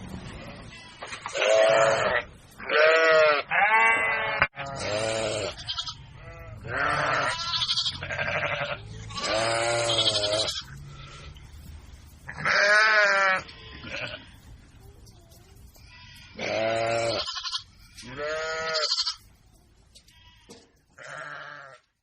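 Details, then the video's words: Playing baby goats calling in a run of wavering, vibrato bleats, some loud and close, others fainter, spaced irregularly with a low steady rumble beneath. "funny Baby goats playing video funny sound Effects"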